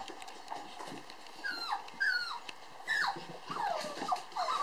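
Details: Toy poodle puppies, two sisters born July 9, playing lively together. Sparse high whimpers and squeaky yips, each sliding downward, over a soft background hiss, growing more frequent toward the end.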